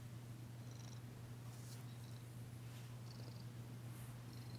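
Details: Female cat Danci purring during a massage indoors on February 9, 2022, a continuous low rumbling drone with light higher rustling from hands or fur.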